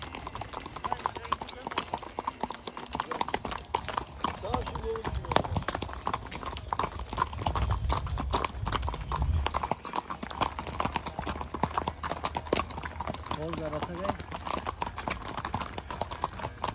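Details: Horse hoofbeats, described as the sound of horseshoes: dense, irregular clip-clop knocks run throughout, with people talking and a low rumble underneath.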